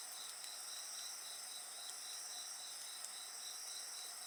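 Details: Insects sing together beside a bonfire: a steady high shimmering chorus with a pulsed trill band repeating rapidly beneath higher continuous tones, and occasional sharp crackles from the fire.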